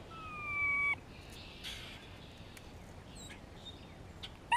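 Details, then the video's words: Grey squirrel calling in spring, communicating as a hawk is close by: a flat, sustained, nasal tone of about one second, then quiet with scattered faint clicks and a brief sound at the end. "Grey squirrel vocalizations"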